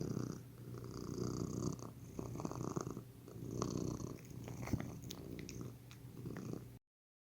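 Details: House cat giving a relaxed, soothing purr: deep buzzing rumble pulsing in breath-paced waves about once per second or two, a few faint ticks and rustles, ending abruptly in silence.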